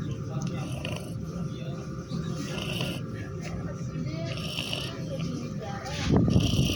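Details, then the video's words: Sleeping cat snoring: low rumbling breaths with hissy exhalations about every two seconds, under steady low-pitched background noise and faint voices. "Kucing ngorok"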